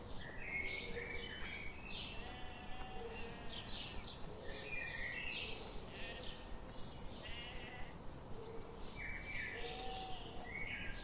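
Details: Sheep grazing in a forest on a sunny morning; several wavering, nasal bleats overlap at different pitches while a steady run of soft, regular ticks continues underneath.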